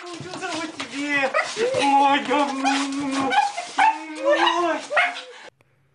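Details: Siberian Husky vocalizing at length in a series of wavering, whine-like howls that slide up and down in pitch, joined by overlapping bursts of voices, ending suddenly at about five and a half seconds.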